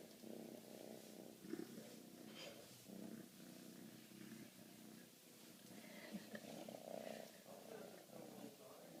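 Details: Fifteen-week-old Siberian kitten being cuddled, giving a continuous low purr that rises and falls in pulses, with faint handling rustles and quiet speech in the background.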